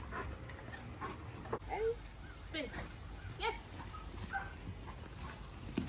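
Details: Pet dog indoors after play with a new Chuckit toy, giving short high, wavering whimpers and whines scattered through the clip, with a person talking to it over the top.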